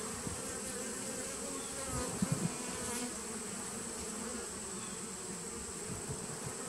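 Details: Honey bee nuc from 2017, recorded 19 September 2018: a low, steady buzzing hum, broken by a few soft knocks or thumps around the middle, with a faint high whine behind.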